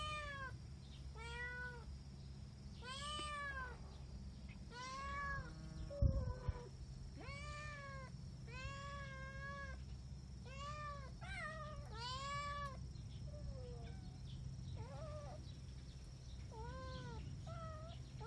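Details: Kittens inside a room meowing in a fast series of short, arched, high-pitched mews, roughly one every second, with a brief knock midway and steady low hum throughout.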